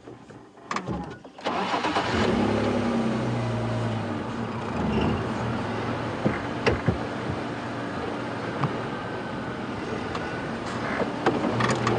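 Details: A vehicle engine starts with a few clicks and then runs at a steady idle, with no animal calls heard.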